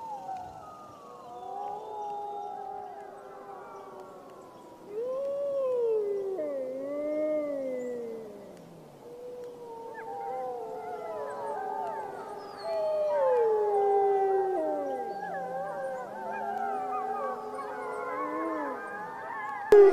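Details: Several wild grey wolves howling together at full moon in the jungle: long gliding, wavering howls rising and falling over one another, with voices layered at different pitches and quieter gaps between swells.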